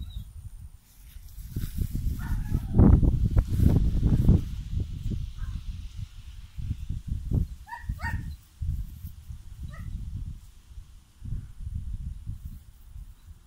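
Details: Two German Shepherd puppies, nine weeks old, playing keep away: rough, low growling and scuffling in uneven bursts, with a few brief, higher yelps midway.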